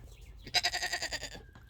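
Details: A Nigerian Dwarf baby goat gives a single loud, quavering bleat lasting under a second, pulsing rapidly, amid other farm goats waiting to be fed.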